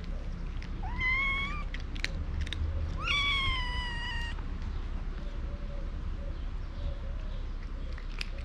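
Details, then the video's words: A hungry mother cat and kitten demanding food: two loud meows about two seconds apart, each starting with an upward sweep and then holding steady, followed by a few faint, soft mews and clicks. "Mother cat and kitten meowing loudly for food"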